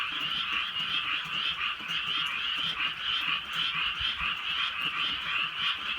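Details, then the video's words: Countryside frog chorus on a night of light rain in Korea, many callers overlapping in a steady stream of rapid, pulsing croaks, soft patter of rain in the background. "개구리 소리"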